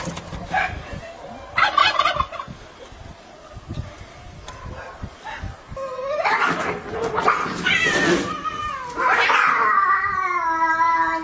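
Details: Alley cats fighting: after a few faint quiet seconds, wavering harmonic wails rise and fall in overlapping bursts, ending in a sustained drawn-out howl.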